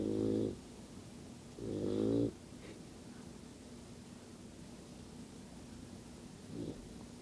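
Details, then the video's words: Yellow Lab puppy asleep and snoring: two low, buzzy snores in the first two seconds, then a long quiet gap before one fainter short snore. "Yellow Lab Puppy Snoring"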